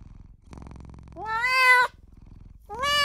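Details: Newborn kitten crying for its mother and owner, a soft low rumble followed by a rising meow lasting under a second, then a second rising meow starting near the end.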